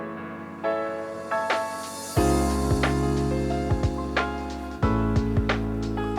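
Soft instrumental music with sustained low notes and gentle plucked tones; no animal sounds are heard.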